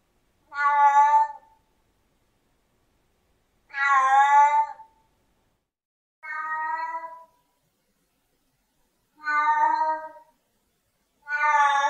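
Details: Five insistent meows from a Siamese cat spread across twelve seconds, each about a second long and rich in harmonics, some louder and higher, separated by silent gaps.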